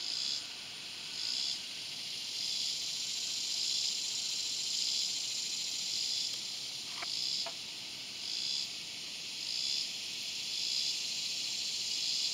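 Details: Swamp cicada call: a high, raspy buzz throbbing in regular pulses about once a second over a continuous insect drone, with two brief clicks near the middle.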